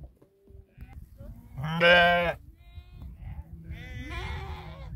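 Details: Sheep in a 2000-strong herd guarded by eight Tibetan Mastiffs in Nepal; one loud, quavering bleat mid-clip followed by a fainter overlapping bleat, with low background rumble and scattered weak calls.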